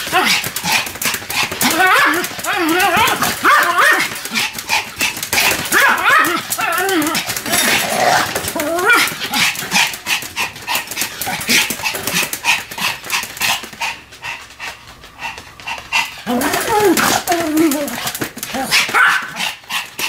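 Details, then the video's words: Two Pomeranians, Sam and Marine, bark together in a duet: bursts of harmonic, wavering yaps and howl-like barks come in clusters over twenty seconds, with a quieter stretch near the end before the barking picks up again. "犬の鳴き声 ポメラニアン サム マリン デュエット吠え"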